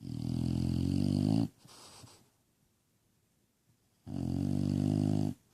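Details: Bulldog asleep, snoring: two long, loud rumbling snores with buzzy harmonics, separated by a soft exhale and a quiet pause of about two seconds.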